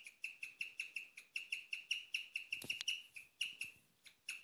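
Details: Female pet guinea pig chirping at night, a rarely heard sound: a steady series of high, bird-like chirps, about four a second, with a brief rustle midway.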